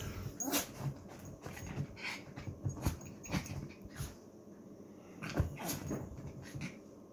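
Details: Chihuahua puppy named Betty, a teacup puppy, indoors in the morning: soft whimpers and snuffling grunts come in short bursts, with scattered clicks and low room rumble.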